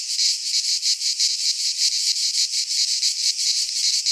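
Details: Cicadas in a Greek pine forest at midsummer make a loud, high, rasping buzz, pulsing in even beats about four times a second.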